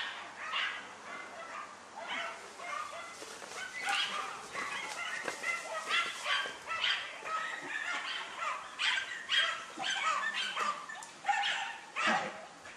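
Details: German Hunting Terrier Dunja barking during a wild boar hunt: a busy, overlapping stretch of barks and yips, somewhat masked by rustling and a man's voice.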